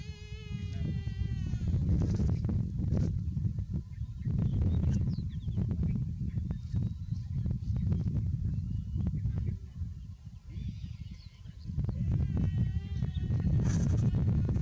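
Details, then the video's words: Buffalo calf, said to be too hot, giving a harmonic, bleat-like call in the first two seconds and another near the end, over a constant low rumble and scattered clicking noises. "BUFFALO Baby Too Hot and Makes a Good Sound"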